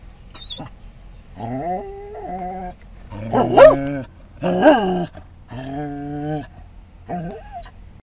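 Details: Pet Scottish Terrier whimpering and barking on seeing other dogs at an I-10 rest stop in Florida; drawn-out nasal whines alternate with two abrupt barks, ending in a short yip, over a low background hum.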